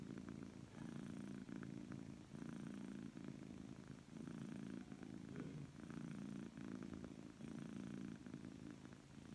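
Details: A happy, relaxed Persian cat purrs loudly and steadily, a low rumbling hum pulsing with each breath.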